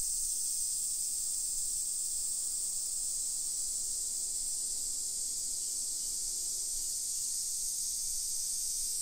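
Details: Cicadas in a Japanese hillside residential area in Nisshin, Aichi Prefecture, on a summer afternoon, 28 July 2021: an intense, constant high-pitched whirring buzz dominating, with faint low background noise.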